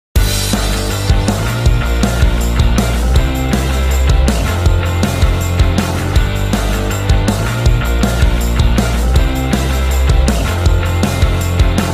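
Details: Loud rock music with heavy bass and drums plays throughout, with no animal sound heard.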